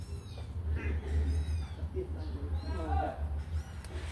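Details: Kittens let out of their cage to run and play give a series of short, high, arching meows, several overlapping thin calls in quick succession over a steady low hum, with faint voices in the background.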